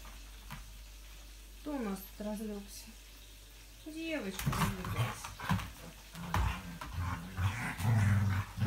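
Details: English Springer Spaniel, recorded 5 February 2017. Thin, high whines that bend up and then fall, a few in quick succession, are followed by rustling and low, grumbling growls in the second half.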